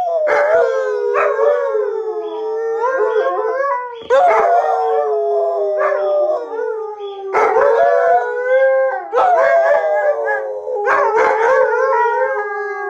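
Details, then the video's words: Three household Alaskan Malamutes named Sojou, Fish and Dotty howl together to let off steam; repeated waves of long sliding howls, each started by noisy yelps at roughly four, seven and nine seconds, overlapping voices throughout. "Howling For Better or Worse"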